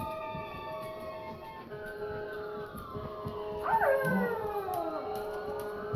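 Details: Cujo the dog howls in answer to a passing siren, as he does every time he hears one. A short falling, wavering howl rises above the steady siren wail, with low voices murmuring underneath.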